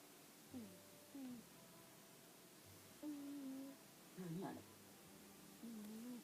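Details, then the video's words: Jiji, an Exotic Shorthair cat and shop mascot, snoring indoors: nasal, tonal hums with a low whistling edge, each breath dipping then levelling, about one every second or two in a quiet room. "エキゾチックショートヘア 看板ねこジジ猫のいびき"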